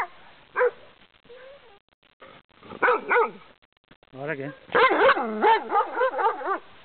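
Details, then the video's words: Angry dog barking fiercely through a fence at a passing walker on a pleasant path; loud harmonic barks with rising-falling pitch, some yelping, quicker bursts in the second half, a few quieter sounds between. "PERRO FURIOSO (ANGRY DOG)"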